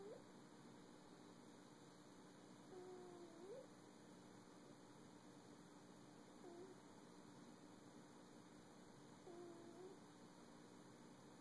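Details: A pet cat making funny sounds while sleeping indoors on a cold day: soft, faint squeaky chirps and short whimpering murmurs, a few brief bursts spread over several seconds, against a steady electronic hum.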